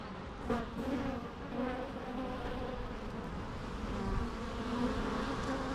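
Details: Softer, more distant bee hum, a low continuous drone with faint wavering overtones and a few brief closer passes.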